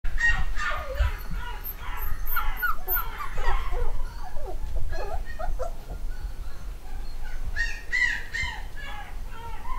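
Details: A home-bred UK litter of eight-week-old black and white Cockapoo puppies, boys and girls. Overlapping high, squeaky squeals and yelps come in clusters, with a steady low rumble underneath.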